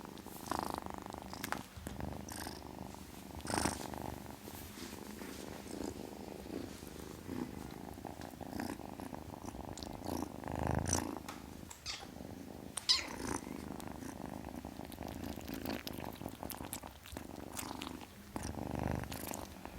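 A kitten purrs continuously, a low pulsing rumble that rises and falls with each breath. Brief breathy, hissing bursts break through now and then over the steady purr.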